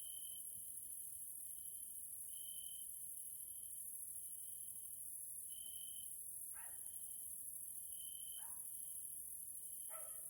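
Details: Evening grasshopper chorus (Caelifera) in a nature area in Hungary, Central Europe: continuous shrill high-pitched hiss with a wavering trill underneath that swells and fades, plus three short, lower, sliding sounds near the end.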